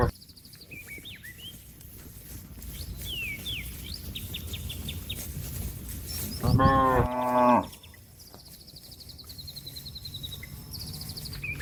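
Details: Cattle calling a grazing companion home to the shed: a single loud, harmonic moo lasting about a second in the middle, surrounded by frequent high bird chirps and trills.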